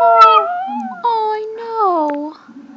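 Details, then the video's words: Male Chinese Crested powderpuff dog howling along to a song indoors, joined by a Papillon: long, sustained, gently wavering tonal howls in two or three drawn-out phrases, with a woman talking softly nearby. "Chinese Crested Powder Puff Sings and Papillon Attempts to Join"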